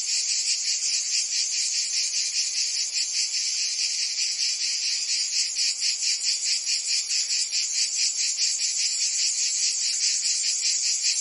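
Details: A summer chorus of cicadas in Provence, France, ringing as an unbroken shrill hiss with quick rhythmic pulsing, dense overlapping singers and no birds, wind or voices.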